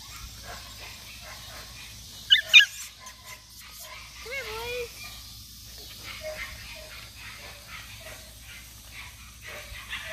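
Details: Male red Standard Poodle puppies from one litter give soft, wavering whimpers and a couple of sharp squeaks.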